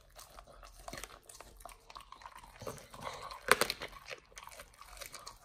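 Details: Nomyen, a Pit Bull, crunching a raw whole Thai duck on first try; short stretch of moist chomping building to one sharp bone crack, then lighter chewing, small indoor room.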